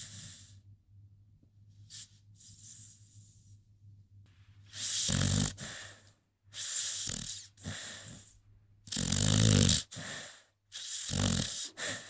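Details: Rocky, a sleeping American Pit Bull Terrier, snores in raspy, breathy bursts that grow louder midway and come roughly every two seconds with short silent gaps, over a steady low hum.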